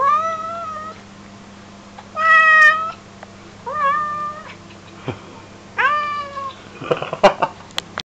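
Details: An American Curl cat "sings" for chicken, giving four drawn-out, wavering meows about every one to two seconds, then clicks and a short burst of rattling noise.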